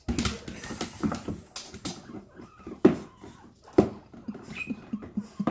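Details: Pug named Bentley meeting guinea pigs for the first time, breathing in quick snuffly pants, short low bursts tumbling several per second, broken by a couple of sharp knocks and a faint high squeak near the end.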